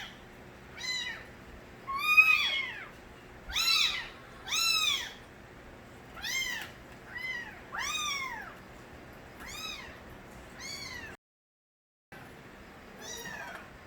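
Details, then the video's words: Stray kittens, the young of a cat named Nabi, cry loudly: about ten arched, high, harmonic meows, each rising then falling, come roughly once a second with short pauses, broken by one brief silent gap near the end. "새끼고양이들의 우렁찬 울음소리"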